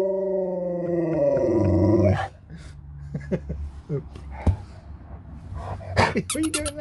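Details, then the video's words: Alaskan Malamute Sherpa talking indoors, seemingly saying it is hungry: a two-second harmonic woo that slides slightly upward, followed by quieter rustling, clicks and a short yelp-like burst near the end. "You'll never get bored living with a Talking Malamute"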